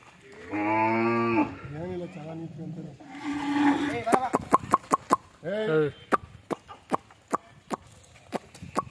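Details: Hallikar heifers near Agra, Bangalore: a low harmonic moo of about one second opens, followed by wavering voices and a run of sharp, evenly spaced clicks or taps.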